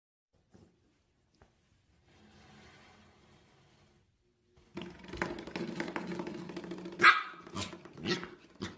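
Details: Corgi indoors: near silence at first, then scuffling and several sharp, irregular barks during the final four seconds.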